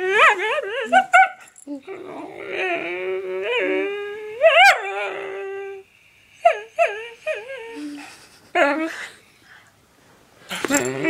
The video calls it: funny dog noise